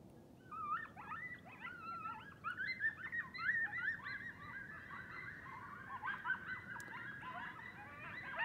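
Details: Several coyotes call together at night near a home, their high, quavering howls sliding up and down in pitch and mixed with sharp yips and short barks, the chorus swelling midway and staying dense to the end.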